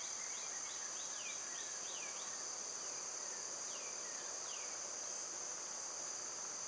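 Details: Steady, piercing summer cicada buzz continues throughout, while a bird gives a series of falling chirps, pauses, then adds two more.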